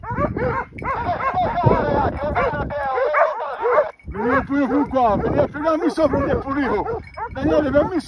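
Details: Hunting dogs baying on a group of wild boar they hold at bay, boar drive hunt in Pratomagno, Arezzo, Italy; chorus of sharp, yelping barks in bursts, with a short silence midway and hunters calling.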